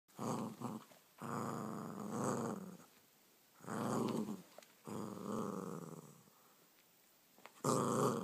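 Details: Seven-month-old female Border Terrier puppy playing with her favourite toy indoors; rough, throaty growls in four bursts of one to one and a half seconds, separated by short pauses, ending with a sharp scuffle.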